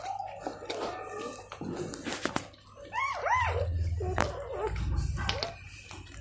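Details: Golden Retriever mother licking her newborn puppies indoors: wet lapping and rubbing sounds with low thumps, broken by short arched whimpers that rise and fall from the pups, several in a row midway.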